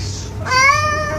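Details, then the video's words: Kitten meowing indoors: one drawn-out, tonal meow lasting under a second, a steady bright voice with a slight upward lift near the end, over a low background hum. "Kitten meowing"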